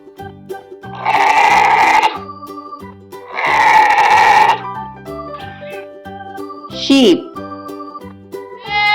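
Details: Sheep in a kids' farm-animal vocabulary lesson giving two wavering bleats, each about a second long and a second apart, over bouncy instrumental music; a short spoken word follows near the end.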